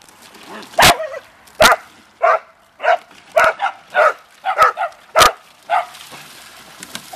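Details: Pet Beagle/Dachshund dogs having fun in water: a steady string of yappy barks, roughly one every half second, with a few sharp cracking splashes and faint background hiss.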